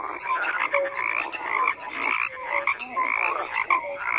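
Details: Frogs croaking together, quick raspy pulses and short whistled notes overlapping in an irregular, constant chorus with no other sounds.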